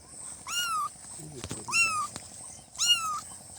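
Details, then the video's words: Newborn kittens meowing: high, thin cries with a slight rise then fall, three calls about once a second, each under half a second, with a faint steady background hum. "Kitten meowing|kitten meowing sound effect|"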